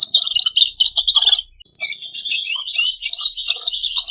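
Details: High, buzzy warbling from a pet red siskin: quick chirp bursts, a short pause around 1.5 seconds, then a steady stream of twittering and scratchy trilled notes.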